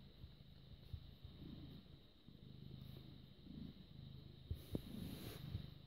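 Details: British Shorthair cat, born 18 August 2010, purring on 6 May 2017 at 21:55; a soft, low, steady rumble pulsing in rhythmic waves, with a few sharp clicks and brief rustles near the end.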